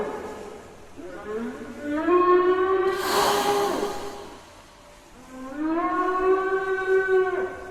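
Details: Two long, rising moans with rich harmonics, separated by a rushing burst of noise, a loud strange sound heard on the Libyan coast at Zueitina and Tripoli around 19 December, afternoon; people suspect migrating whales.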